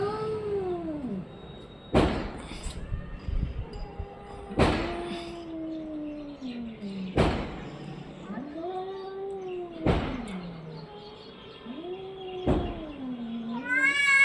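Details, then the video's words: A cat gives a string of long, drawn-out meows, each rising then falling and lasting one to two seconds. Sharp percussive knocks, like music beats, recur every two to three seconds. "Cat funny sounds"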